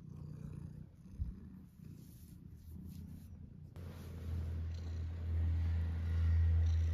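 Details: Tuxedo cat purring in the morning: quiet at first, then a steady low rumble builds and swells louder through the second half, with faint handling noises.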